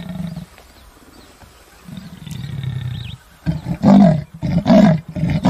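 A leopard roars with a series of deep, rasping grunts that grow louder toward the end.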